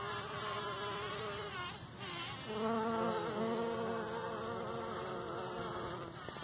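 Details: Bumblebees buzz pollinating partridge peas in a morning patch: a dense humming drone that swells and shifts in pitch as individual bees pass close, several buzzing at once.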